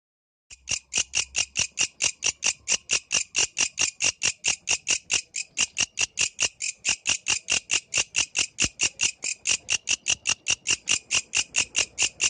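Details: Yellow grasshopper singing at night in the wild: a long, steady series of sharp, high, buzzy pulses, about three to four a second, with no other sounds.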